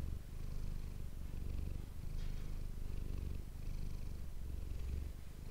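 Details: Close-miked purring from Manis the domestic cat, captured with an ASMR microphone: a low vibrating drone rising and falling with breathing, cycles around a second long, one brief soft rustle midway.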